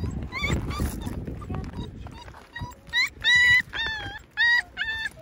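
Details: Injured puppy at the vet after losing an eye, its eye removed following an unknown mishap: high, thin whimpers and yips with wavering harmonics, clustered in the last two seconds, over soft human talk and background music.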